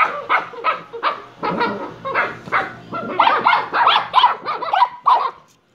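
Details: Shiba Inu pups Kyno and Niro, six in the series, giving a rapid run of short yappy barks and yips, about three per second, mid-pitched and harmonic, growing louder and denser in the second half.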